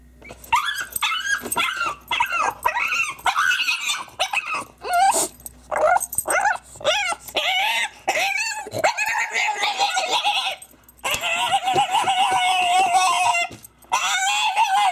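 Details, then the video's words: French bulldog crying: a run of high, wavering whines and yelps in short bursts, rising and falling, then a long sustained whining cry through the last seconds. "French Bulldog Crying!"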